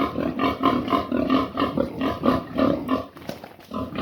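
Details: At noon, a pig gives a run of short, low, throaty grunts, three or four each second. The rhythm loosens and softens toward the end, then the grunting picks up again.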